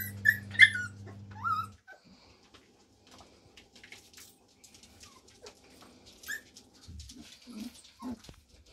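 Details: Christmas litter of Samoyed pups, four weeks old, at a kennel: high thin squeaks over a low hum open the recording, followed by quiet soft yips and small whimpers near the end.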